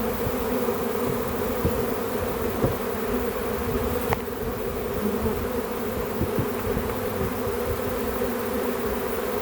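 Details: Back-yard swarm of honey bees during capture, a continuous low droning buzz from many insects, with a few soft clicks and knocks of handling breaking through the steady hum.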